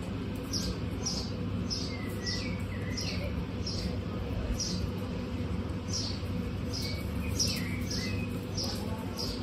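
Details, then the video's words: On a hot day, a household of 26 female guinea pigs produces a long run of sharp, high-pitched squeaks, evenly spaced at roughly half-second intervals, with a brief pause midway, over constant low background rumble. "Guinea pigs on a hot day"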